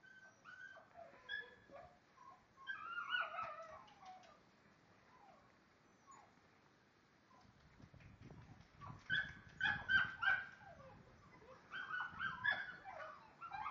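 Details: A Lagotto Romagnolo at Osteria Grande gives high-pitched yips and whimpering whines in uneven bursts.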